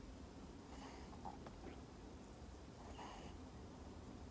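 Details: Miniature Schnauzer named CoCo sleeping soundly and snoring loudly, low rough breathing rumbles with two snorting breaths about two seconds apart over steady low hum.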